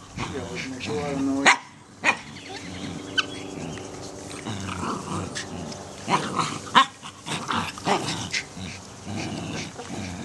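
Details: Norfolk Terriers at play, giving short sharp barks and yips scattered through the clip, with human voices and household noise in the background.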